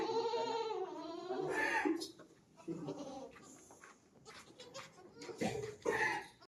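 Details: Goat during a delivery on a farm: a wavering, nasal bleat lasting about two seconds, then quieter rustling and a few short, higher bleat-like bursts near the end.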